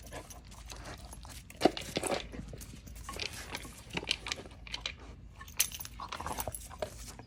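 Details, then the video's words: German Shepherd puppy at feeding time snaps at its owner twice for coming too close. A sharp, sudden snap early on is followed by huffing breaths, short bursts of panting and light clinking and rustling noises. "My German Shepherd snapped at me twice for getting too close"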